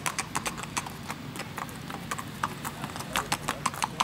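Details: Hooves of a strawberry roan Tennessee Walking Horse stud carrying a little girl during a ladies' trail ride in Macedonia, Texas: sharp, crisp clip-clops in a fast, uneven rhythm, about three per second, over low background rumble.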